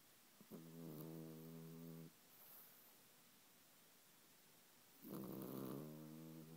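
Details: French Bulldog asleep, snoring with two loud rattling, harmonic inhalations lasting about one and a half seconds each, separated by quiet breathing and a faint hiss.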